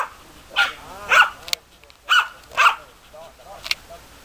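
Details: Short yelping barks from German Hunting Terriers Bagira and Cox von der Fuchskralle, four clear barks with pauses between them and a few faint clicks.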